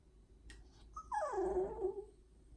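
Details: Complaining corgi talking back to its owner in disapproval: one drawn-out whine that starts high and falls steadily in pitch, rich in harmonics, after a couple of faint taps.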